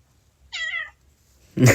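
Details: Pet domestic cat meowing once after its owner asks it to say hi to a friend on a call; a short, slightly wavering meow, followed by a loud burst of the owner's voice.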